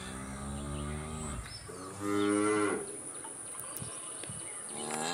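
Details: Cow lowing in deep, moderately quiet moos, one long and steady followed by a shorter, higher-pitched one, against a constant hiss and high-pitched whine.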